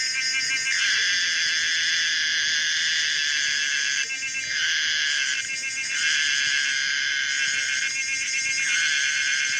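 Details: Continuous shrill buzzing of the cicada Pomponia linearis, broken by short shifts where the tone drops and changes texture, about every one and a half to two seconds, with pulsing stretches in between.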